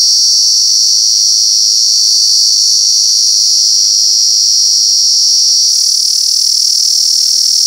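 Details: In Alaveddy, Jaffna, a cicada gives a loud, ear-piercing, unbroken, high-pitched buzzing drone; cicada.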